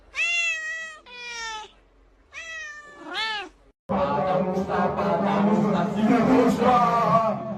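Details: Domestic cat in a funny cat compilation gives four drawn-out, tonal meows over the first four seconds, the last one arching up and down, before music and a voice take over.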